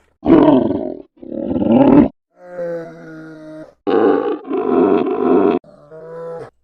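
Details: Polar bear (Ursus maritimus), growls and moans.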